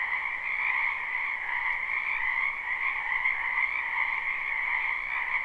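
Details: Frogs of a spring wetland behind a house heard live, unlooped: an even, buzzing chorus of overlapping high and lower trills, steady and without pauses, over faint low hiss.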